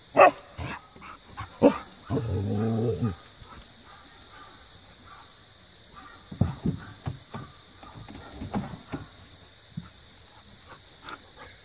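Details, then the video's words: Pet Siberian husky and Australian Cattle Dog at play after the husky tells the cattle dog to get off the play set; a short whine and yelps open, followed by a second-long throaty growl, then scattered yips and scuffling noises. "Siberian husky telling Australian cattle Dog to get down!"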